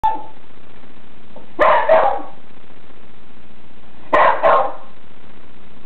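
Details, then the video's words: Beagle vocalizing as if saying "Ah-Gong", Taiwanese for grandpa: two drawn-out two-syllable yowls about two and a half seconds apart, each a loud rising note followed by a shorter second one, in a quiet room. "A Beagle Knows How to Speak."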